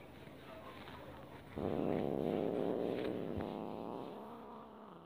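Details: Domestic cat making an angry sound while being stroked and disliking it, yet not fighting back; one sustained, low, rough growling moan lasting about two seconds over quiet background hiss.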